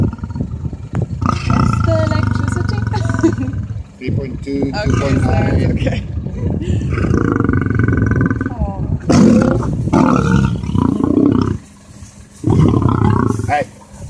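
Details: Lion roaring in the African savanna, a call used to mark territory and communicate with the pride; deep, rumbling broadband roars in long bursts, with pauses between, and what sounds like voices mixed in.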